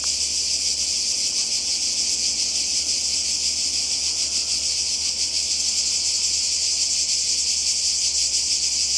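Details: Cicadas calling by the sea in Croatia in summer 2020: a dense, continuous high-pitched buzzing chorus with a fine pulsing texture, steady in loudness throughout.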